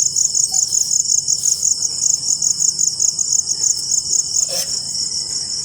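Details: Crickets calling after rainfall: a dense, high, rapidly pulsed chirping trill held steady throughout, with a brief broadband click near the middle and faint low rumble beneath.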